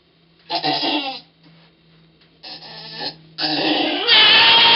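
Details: Pong the goat calling during the birth of twins on 2/11/11: three strained, nasal grunting bleats, the final one swelling into a rough, breathy outcry.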